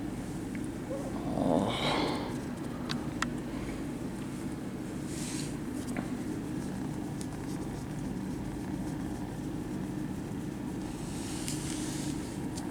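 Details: Friendly, attention-seeking kittens purring at a cat cafe while being petted; a steady low rumble runs through the whole stretch, with a brief higher vocal sound near the start and light rustling from handling.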